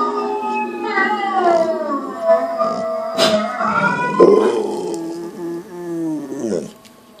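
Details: Continuous mournful howling from the pit bull Boo, layered tones gliding down and wavering, a sudden sharp accent past the midpoint, then trailing off into a brief upward slur before fading.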